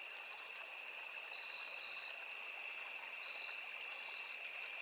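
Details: Steady, uninterrupted shrill trilling of crickets in a riverside forest, two high tones sustained across the whole stretch, over the gentle constant rush of a small stream.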